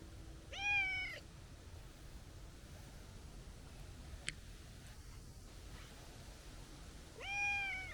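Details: Two short, high meows from a plump stray tabby cat with a kitten-like voice, one at the start and one at the end, separated by quiet background noise and a brief click.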